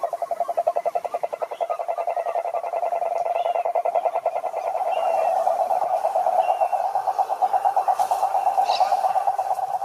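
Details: Frogs calling in a pond: a loud, rapidly pulsed rattling croak repeated in a continuous train, swelling slightly in the middle, with a few faint higher chirps overhead.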